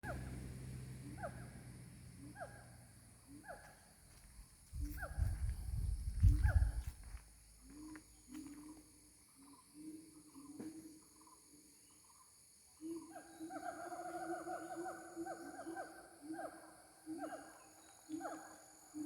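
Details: Gibbon, known locally as ungka, calling during mating: series of clear hooting notes repeated rapidly, a low rumbling burst partway through, then a faster run of paired higher and lower hoots building toward the end.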